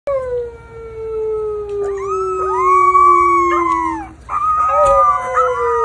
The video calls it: Rottweiler Puppies Howling